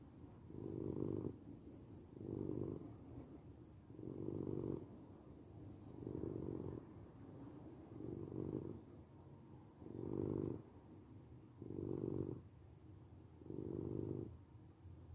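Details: Continuous low purr from a domestic cat, rhythmic rumbling bursts rising and falling about every one and a half seconds, around ten breath cycles, faint airy hiss on each surge, quiet background.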